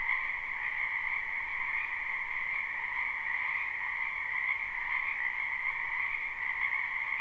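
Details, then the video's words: Many frogs croaking at night-time in a spring wetland behind a house, recorded live without looping: a dense, unbroken chorus of overlapping high trills that blend into a steady, shimmering drone with no pauses and no other sounds. "Ambient Noise for Sleep Frogs"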